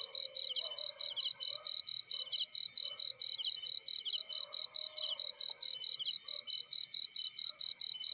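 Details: Cricket chirping in a field beside a burning fire: steady high, shrill pulses, roughly four per second, with soft lower crackles from the flames underneath.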